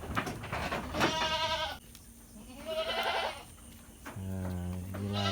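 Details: Goats at Indatu Farm, a livestock farm in Lhokseumawe, Aceh, Indonesia, raised for Qurban and Aqiqah: two wavering, nasal bleats about two seconds apart, then a steadier, lower drawn-out tone, with background hum.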